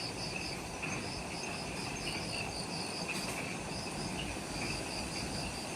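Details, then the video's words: Insects calling in the jungle at the Mount Omoto trailhead, Ishigaki Island, Okinawa, Japan, at twilight just after sunset: rows of quick high pulsed chirps over a steady lower trill, all against a dense, constant forest hiss. "Forest Twilight Sounds – Ishigaki Island | Relaxing Jungle Ambience with Insects"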